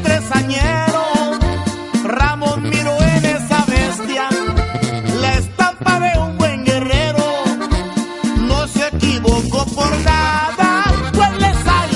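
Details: Upbeat Latin-style band music with singing throughout, and no animal sound.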